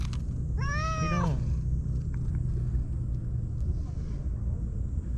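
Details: Lone white stray cat living among tetrapod breakwater blocks in Japan, greeting a visitor warmly: one long, rising-then-falling harmonic meow, with steady low rumble of wind or surf behind.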